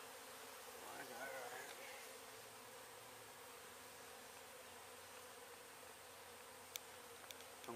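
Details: Low, sustained buzzing from a small honey bee hive during removal work in Weslaco, Texas, on a cloudy day, with a faint voice early and a few sharp clicks later.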